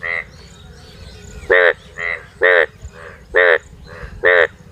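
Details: Four frogs at night: five loud, nasal, harmonic croaks spaced about a second apart, with fainter croaks from other frogs answering in between over a low background hiss.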